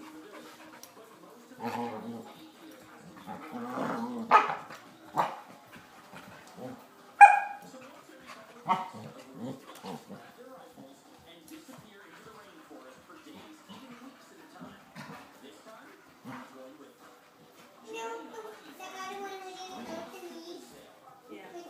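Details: Two Springer Spaniel puppies play-fighting and wearing each other out: scattered short growls, grunts and barks, with one sharp high yip near the middle and a burst of yelping toward the end; a few quiet human voices.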